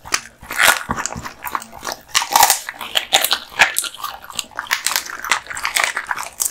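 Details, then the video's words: Kotetsu, a male American Bully, biting into duck spine jerky: crisp splintering crunches and wet mouth sounds in fast overlapping bites, close and loud. "Dog eating Duck spine jerky"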